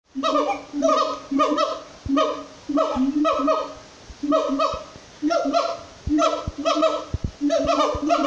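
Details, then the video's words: A gibbon at Jungle Park sings loud, hooting notes in rhythmic bursts that rise and fall, each lasting about a second. "Jungle Park Gibbon song"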